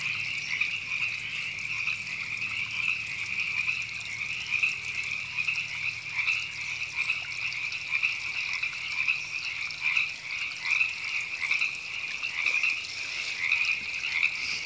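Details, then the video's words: In April 2017 at Temescal Canyon Park in Los Angeles, California, many river frogs croak together in an unbroken, buzzy, high trill that swells and fades in rhythmic pulses, with gentle water flow underneath. "Frogs Ribbits"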